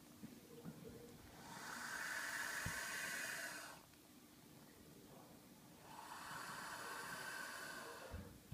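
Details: Baby boa constrictor Ramsey, angry and refusing his meal in the evening, lets out two drawn-out, breathy hisses of about two seconds each, separated by a quiet gap, with faint room noise beneath.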